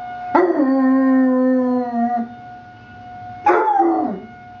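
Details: Basset Hound puppy named Alvin joining a weekly emergency test siren, one sustained level howl of about two seconds, then a shorter falling howl, with the siren's steady drone underneath.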